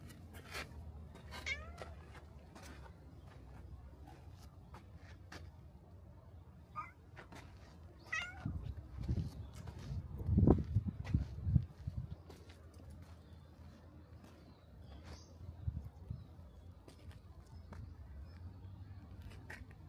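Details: Black cat at a Shinto shrine coming to the torii gate to greet a visitor; brief high meows with stacked overtones near the start and around eight seconds, set among soft rustles, thumps and footstep-like knocks close by.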